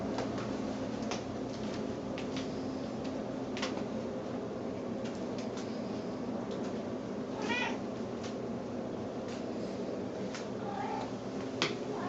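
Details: Hungry female pet Snowshoe cat, circling in hope of food, makes short baby-like meows: one wavering cry mid-way, then two brief ones near the end, over a steady background hiss with occasional clicks.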